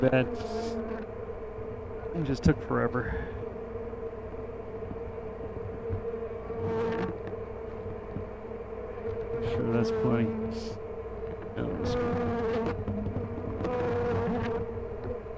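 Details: Honey bee colony buzzing during a hive check at an apiary called The Mountain, hives full of honey, with brood of all stages and the queen seen; a steady low droning hum runs throughout, with brief human voices and handling noises over it.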